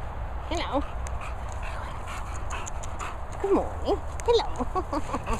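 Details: An English Bulldog and an English Bull Terrier larking around together at play; short high whimpering and yelping calls with bent, sliding pitch in brief bursts, over a steady low rumble, with a woman speaking softly.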